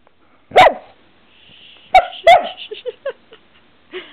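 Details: Pet dog scuffling with a camera indoors gives a loud sharp bark, then a second double bark with short whiny yips trailing after; a woman talks to her between sounds.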